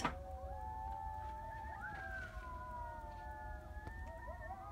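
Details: Coyote singing at about 2am in Heath, Texas: several wavering, overlapping tonal howls slide up and down and hold long notes, with quavering breaks and short yipping inflections over a low background rumble.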